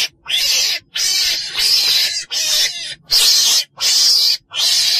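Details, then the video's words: Ferret-badger giving harsh, hissing rasps, about seven evenly spaced bursts in five seconds, each roughly half a second long with short silences between. "tiếng chồn đèn"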